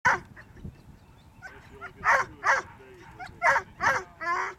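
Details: Whippets at a lure coursing event, with sharp excited yips and barks repeated about every half second in the second half, some high whining notes between them, and faint background voices.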